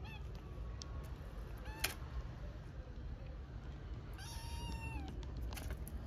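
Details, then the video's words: Homeless kittens in Istanbul meowing loudly for food. Short, thin cries come early, then one clear drawn-out meow that rises slightly before falling away, with clicks and steady low street rumble behind. "Hungry orphaned kittens meow loudly for food"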